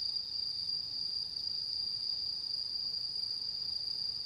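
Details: Autumn insect chorus under the harvest full moon, 10 September 2022: one sustained, even, high metallic trill that holds steady with no pauses, accompanied by a faint upper ringing band.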